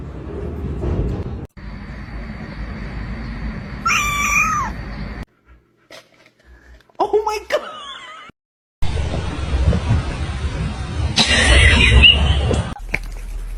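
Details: Domestic cat giving two drawn-out, wavering meows a few seconds apart, set against a noisy room with background music, laughter and a short silent gap between scenes.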